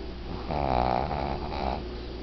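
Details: A sleeping 12-year-old female Shih Tzu, a snorer since puppyhood, snores, each breath a low, raspy rattle that builds, then eases off, followed by a softer second snore in the same rough, nasal tone.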